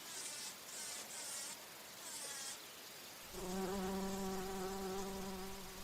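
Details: Bumblebee feeding on nectar at flowers; after several seconds of soft hissy rustling a steady low droning hum starts and holds to the end, rich in overtones.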